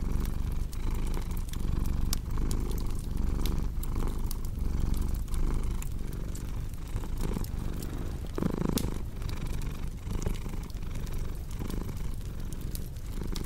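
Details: Purring cat, a soft rumbling drone rising and falling with each inhale and exhale, accompanied by irregular snapping and crackling of a fire burning nearby.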